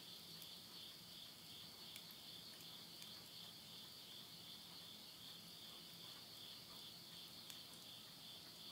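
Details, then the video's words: Midnight insect chorus in September 2020 near Yurihama, Tottori, Japan, as summer ends: dense, even high-pitched buzzing trill, with only faint ticks from firewood burning in a stove. "the voice of insects"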